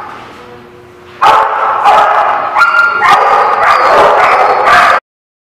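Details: Dogs at a dog lot, recorded 15 July 2016; loud, dense barking starts after a quiet second and continues as overlapping harsh barks for about four seconds before cutting off abruptly.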